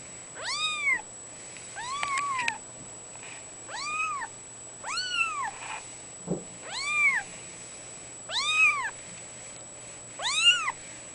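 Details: Fawn female Abyssinian kitten aged two weeks gives a series of about seven thin, high meows, each rising and dropping in an arch, roughly one every one and a half seconds, over a steady high whine.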